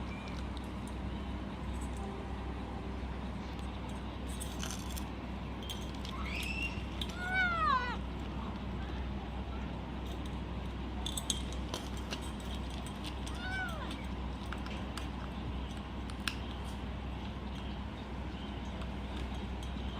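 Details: Little pet kitten named Taoqi eating cat food and protecting it, making enjoying sounds: crisp crunching clicks scattered throughout, a cluster of high, wavering whine-like meows midway, one shorter whine later, over a steady low household hum.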